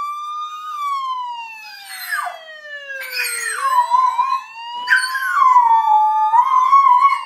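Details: A female dog howls whenever she hears a siren, here trying to copy a police siren: long, smooth, sliding tones that fall slowly, then rise and waver, overlapping the siren's own rising and falling wail.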